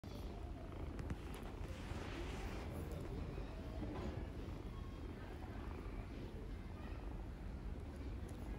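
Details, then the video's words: Homeless ginger kittens living on the street in Istanbul purr as they try to keep their feeder from going home; a steady low rumbling purr fills the recording, with faint human talk in the background. "Homeless ginger kittens purr and don't want me to go home"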